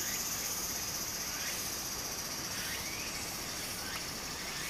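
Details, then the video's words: Summer cicada chorus by a Japanese stream, fainter here: a thin continuous high hiss with a few soft rising buzzy notes at irregular intervals, mostly drowned by the constant wash of running water. "小川の流れと蝉の声 自然音 ～夏～ Japan Sound of nature Cicada's voice"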